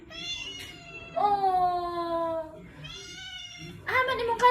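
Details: Khao Manee cat meowing for cat food indoors: long, drawn-out tonal meows, one sustained and slightly falling, then a shorter rising-falling meow and a rougher call at the end, with background music faintly present.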